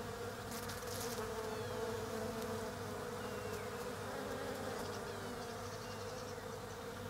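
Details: A swarm of foraging European honey bees hums around blooming Desert Ash (Fraxinus oxycarpa) branches in autumn down under. The buzz is even and unbroken, with brief higher chirps and clicks scattered above it.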